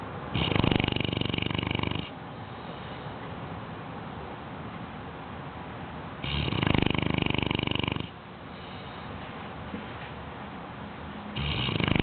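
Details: A 6-month-old Bloodhound pup snoring, with long rasping rattles roughly every five seconds and soft breathing between.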